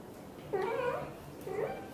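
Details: Blue golden British Shorthair mother cat chatting to her tiny kitten as she hugs it; a drawn-out wavering meow, then a shorter softer second meow a second later, with faint room noise.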